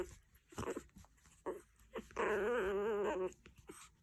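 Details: Angry Chihuahua: a couple of short yelps, then one sustained warbling, tremulous whine lasting about a second, tailing off into quieter snuffles.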